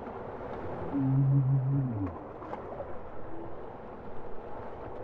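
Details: Bowhead whale song note: a low, harmonic-rich moan lasting about a second, ending in a slight downward slide, then quieter faint tones over a rushing underwater background.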